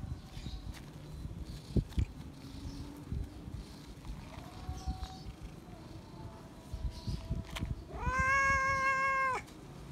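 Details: Feral cat seeking attention and love: after quiet rustling and a faint drawn call, one loud, long, level meow lasting over a second near the end, with scattered clicks and low background noise.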